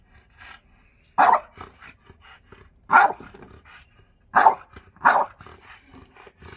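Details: A French Bulldog argues with his owner for his chair. Four loud, gruff barks come at uneven spacing over several seconds, with faint murmuring and rustling between them.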